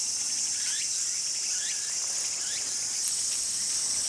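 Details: Male kayakiri katydid singing at night in summer grassland: a noisy, unbroken, very high shrill buzz, with faint chirping calls of other insects lower down.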